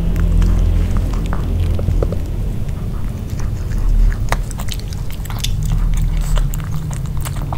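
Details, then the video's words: Nino the dog eating a grilled pork pouch for an ASMR mukbang, no talking: steady wet chewing and soft mouth clicks with a deep low rumble underneath, indoors in a small room. "Piggy Dog Eating Grill Pork (No Talking) ASMR 먹방 EATING SOUNDS"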